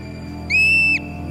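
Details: In spring after hibernation, an Olympic marmot sentinel gives a single high, piercing alarm whistle, held about half a second and dipping at the end, warning the whole colony of an approaching young eagle; faint low musical hum.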